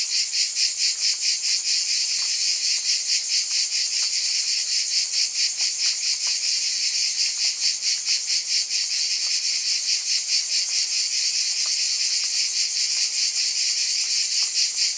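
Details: Dense cicada chorus: a shrill, continuous buzz beating in regular pulses a little more than twice a second. Faint low hums and scattered ticks lie beneath it.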